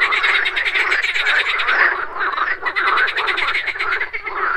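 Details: Frogs croaking at a morning pond, a thick chorus of rasping pulsed croaks running almost without break, rhythmic ticking on top and a slight dip near the two-second mark, insects audible too.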